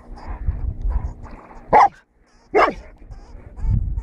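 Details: Golden Retriever dog hunting a lemming: two sharp, loud barks about a second apart, rising from a low rumble of background noise with a quiet pause between them.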